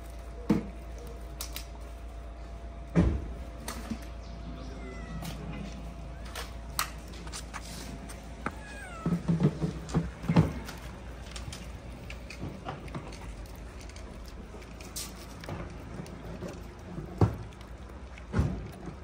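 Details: Hungry stray cats in a Moroccan street gather around leftover food on a plate. A few short, rising-and-falling meows come amid sharp clicks and knocks of eating, over a low steady hum.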